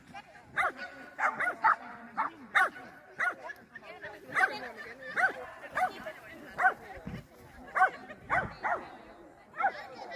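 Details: Small German Spitz (Kleinspitz) at an agility competition on 30 June 2024, XS3 class course: sharp, short barks repeated roughly every half second to second, with a person's voice and faint background noise.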